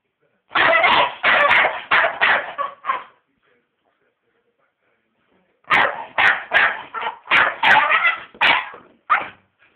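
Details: A Staffordshire Bull Terrier that hates vacuum cleaners barks while attacking one: two rapid runs of sharp, harsh barks, about three per second, separated by a pause of roughly three seconds.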